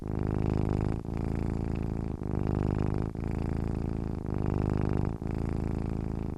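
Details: Deep, even purring from a sleeping cat, rumbling bursts of about a second alternating louder and softer with the breath, separated by tiny pauses.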